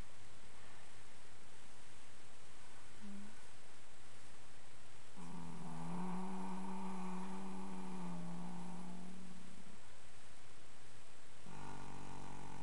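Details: Dream, a 10-year-old registered foxtrotter horse also called Mischief at Sunrise, napping in old hay piles one afternoon after romping in the yard. A low, steady harmonic hum holds for about four seconds, then resumes near the end.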